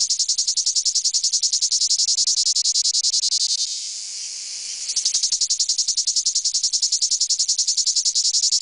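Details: Courting male cicadas give a shrill, high buzzing song made of fast, evenly repeated pulses, broken by a short smoother hissing stretch in the middle before the rhythmic throbbing resumes.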